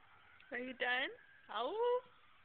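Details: Siberian Husky howling along to local emergency sirens gives short, tonal howls that swoop upward, with the sirens audible in the distance.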